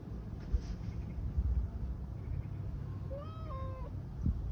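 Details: Siberian cat stuck in a tire, working out how to climb free; a short rising-then-falling meow near the end, preceded by soft thumps, while a person quietly encourages it in Russian.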